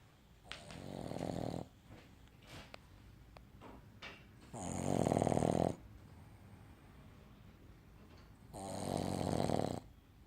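A Boston Terrier snores in long, rasping breaths spaced a few seconds apart.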